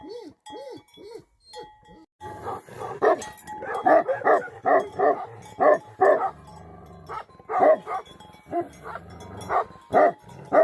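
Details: Tibetan Mastiff guardian dogs in Nepal's Himalayan country: a few short arched whines at first, then a sustained stretch of loud, rhythmic barking, roughly two barks per second, with a steady faint tone underneath.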